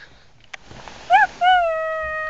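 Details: Little pugs in a car defending their territory against possible predators: a brief arched whine, then a drawn-out steady howl held to the end, over quiet car-interior noise.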